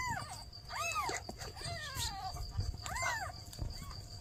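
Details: Newborn kittens and a mother cat asking for help; drawn-out, arching meows, one sliding slowly downward, others short and rising-falling, with rustling and low rumble behind.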